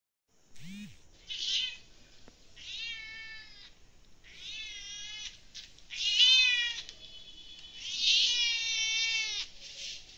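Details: Kittens drinking milk give a run of about five high, drawn-out meows over ten seconds. Each is a strained, wavering cry, some rising then falling, with brief quiet gaps between them.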